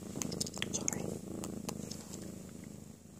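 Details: Pet cat purring while settling into a peaceful nap after a playful tantrum; a low, continuous throbbing purr with rapid regular pulses, overlapped at first by a person's soft calling and a few sharp clicks.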